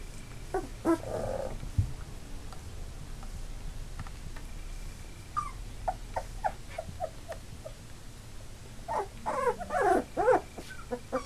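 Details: Three-week-old Labrador Retriever puppies, eight in the litter, newly walking with eyes open, give short whimpering and squeaky cries in scattered bursts, the busiest near the end, over a low steady background hum.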